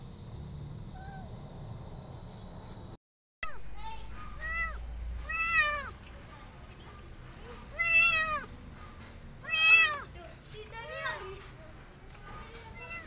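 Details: Rescued street kitten meowing repeatedly: a run of high, arching meows roughly every one to two seconds after a short opening of steady high-pitched tone, with faint low rumble underneath.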